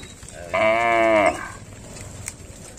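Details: Tame village cattle roaming the fields and drinking at a village lake: a single clear, harmonic moo lasting under a second, steady in pitch and ending abruptly, with quiet outdoor background before and after.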